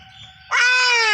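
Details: A single loud, drawn-out bleat bursts in halfway through from a castrated goat with a urinary blockage, preceded by a faint steady tone and low rumble.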